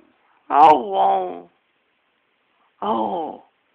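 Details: Dog singing indoors: a one-second harmonic, wavering vocal note, then after a pause a shorter second note, both tonal and voice-like with rich stacked harmonics, no background noise.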